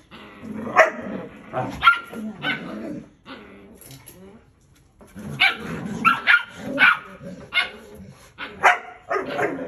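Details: Belgian Malinois parents, a mother and a father, discipline their male pup, which fights back. Harsh barks and snarling growls tumble over one another in two busy bursts, split by a quieter gap in the middle.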